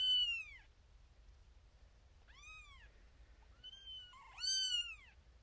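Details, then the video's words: Tiny female kitten Xena Thumbalina, born April 1st, 2021, first of seven in a birthing box, demanding her owner's attention: four high arched meows, the last two run together with a small rising squeak between them. "SMALLEST Kitten BIGGEST Meow"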